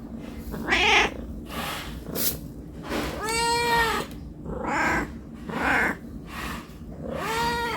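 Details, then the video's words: Domestic cat meowing from hunger for food: several drawn-out, slightly nasal meows of varying loudness, one long steady call near the middle, over a constant low hum and some noisy background. "Suara Kucing Meong Meong Non Stop"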